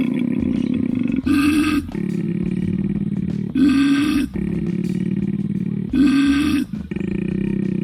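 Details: A wild koala in the Australian bush growls in a deep, rasping drone broken by harsher belching bursts about every two seconds.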